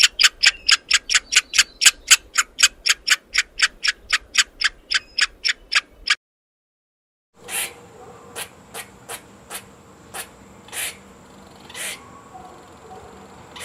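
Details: Rapid, clipped squirrel barks repeat quickly for about six seconds, then a brief silence gives way to scattered softer clicks and a thin, steady high hiss.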